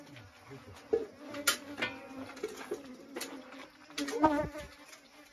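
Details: Honey bee in the Nepali village countryside, a low droning buzz with layered overtones that swells and fades as it moves, broken by several sharp clicks and knocks.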